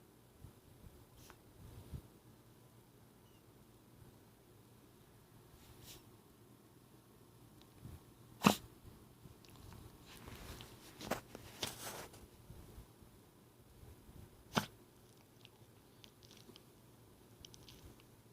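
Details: A 17-year-old female dog with a heart murmur, making a snorting and sneezing noise that began a few weeks earlier. Indoors, a few sharp, abrupt snorts come at irregular intervals against a quiet room hum.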